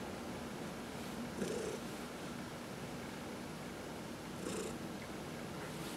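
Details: Massaged pet cat purring, from a home with four cats. A quiet, continuous rumbling purr with two gentle surges about three seconds apart, plus light rubbing sounds from the hand.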